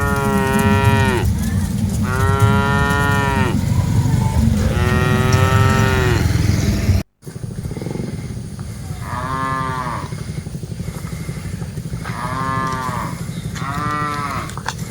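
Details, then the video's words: Dozens of cattle being herded, with loud overlapping moos in quick succession for the first seven seconds, then a brief cut and softer, shorter moos spaced about every one to two seconds over constant low noise. "Aktivitas Mengiring Puluhan Sapi Lembu Lucu Suara Moo - Suara Sapi Moo Yang Lucu"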